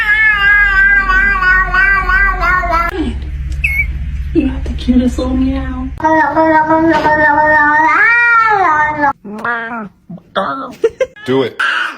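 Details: House cat gives long, drawn-out wailing meows that waver in pitch. They are followed by shorter, arching meows and brief yowls, with faint noise in the background.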